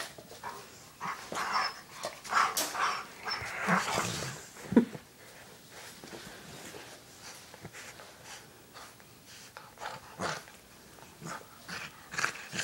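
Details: Indoor play between nine-week-old puppy Valour and older Labrador siblings Noelle, white, and Owen, black: a dense patch of snarling, growly vocal bursts early on gives way to scattered panting, scuffles and quieter thumps.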